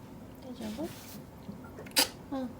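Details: Choco, a small sable-coloured female pet ferret from Path Valley, suddenly sneezes again and again while getting into mischief indoors; one sharp, hissing burst stands out near the end, framed by a woman's soft, high talking before and after.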